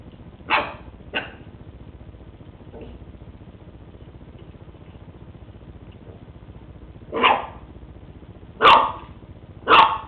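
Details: West Highland White Terrier named Lucy playing with a treat ball for the first time indoors; sharp broadband barks, two early ones then a cluster of three louder barks near the end, separated by quiet pauses.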